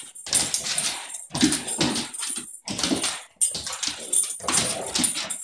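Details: Catahoula puppy Sancho playing with another dog, Kuma, recorded 25 April 2015: rough, noisy bursts of grunting play sounds come roughly once a second, each dropping off into brief silence before the next.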